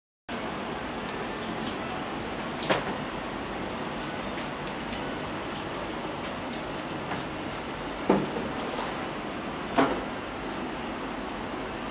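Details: Steady indoor background hum with a few sharp knocks and clatters, and no animal voice.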